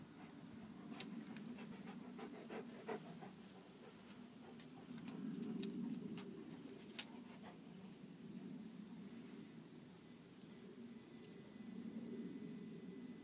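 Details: Kuvasz dogs Hunok Gyöngye Bársonyka and Megyeri Nomád Csatár in daily competition, 4 March 2014; a low, harsh rumbling surges and eases in waves, swelling near the sixth and twelfth seconds, with sharp clicks early on.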